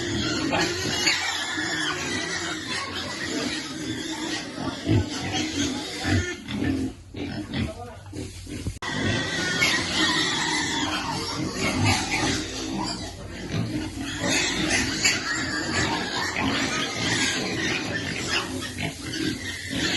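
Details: Waiting for food, a piglet keeps up rapid, uneven grunting; a near-silent pause falls around seven to nine seconds before the busy snuffling and oinking resumes.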